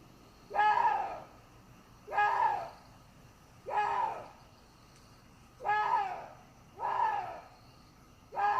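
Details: A water deer (Hydropotes inermis) gives harsh, hoarse screaming barks, repeated roughly every one and a half seconds.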